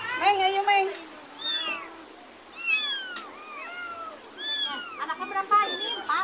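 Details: Domestic cat with a kitten, the mother cat following as the kitten is carried home and then back to a neighbour's yard; a string of high, arching meows, a human voice briefly at the start.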